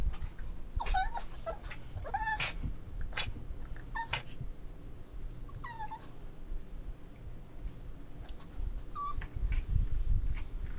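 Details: Boston Terrier puppies at play give short, high whines that rise and fall in pitch, scattered every second or two against a low background rumble.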